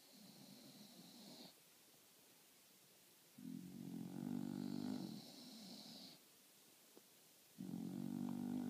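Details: Bulldogs Marley and Lola relaxing between meals, breathing loud and snoring as they nap; deep, rattling snores of one to three seconds, paired with a thin high nasal whistle, separated by quieter pauses.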